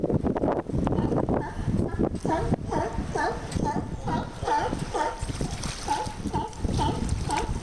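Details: Young sea lions playing at Monterey: a chorus of hoarse, repeated barks roughly twice per second, each with a dipping tonal wail, over splashing water and surf rumble.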